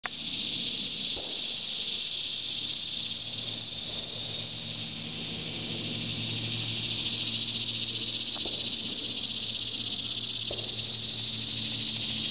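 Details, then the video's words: Cicadas singing in trees at Shawangunk Grasslands National Wildlife Refuge around noon on 16 August 2009, a dense continuous high-pitched buzzing drone with slight pulsing, from many insects all around, with faint low background rumble. "Cicadas at Shawangunk Grasslands NWR"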